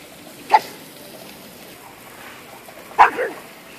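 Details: Dog chewing gum barks twice, about two and a half seconds apart; each bark is short and clipped, the second slightly longer with a brief trailing yelp.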